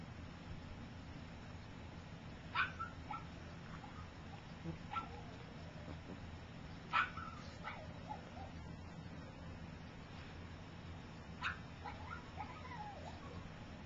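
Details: Puppies of Gypsy, three weeks old and taking first steps while others sleep, make four faint spaced squeaks followed by brief whimpering tails, roughly every few seconds, above a low continuous hum.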